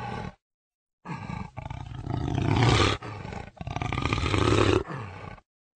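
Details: A jaguar lets out two long, rasping roars that swell in loudness and then fade, preceded by a short grunt and a moment of silence.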